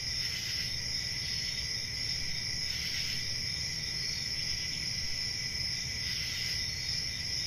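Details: Crickets on a summer night in a forest; a steady, unbroken high trill with several shrill bands layered together and a faint low rumble underneath.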